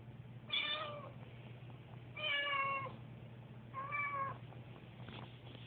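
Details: Susie, a nervous pet cat on moving day, gives three drawn-out meows about every one and a half seconds, fairly quiet over a steady low hum.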